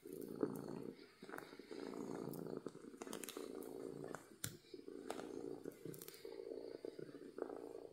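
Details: Happy domestic cat purring loudly: continuous low rumbling cycles of roughly one to two seconds, broken by several sharp clicks or knocks and short gaps.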